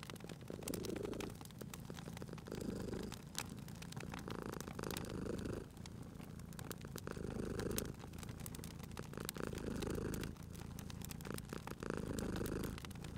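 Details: Sleeping domestic cat purring beside a crackling fireplace in a cozy room; low rumbling purr swells and fades in cycles about every two seconds, with sharp snapping fire crackles throughout.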